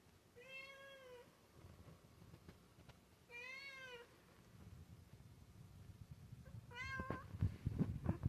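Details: Cat meowing in response to a strange noise from the ceiling: three drawn-out, tonal meows a few seconds apart, the last shorter, followed by rustling and thumping sounds.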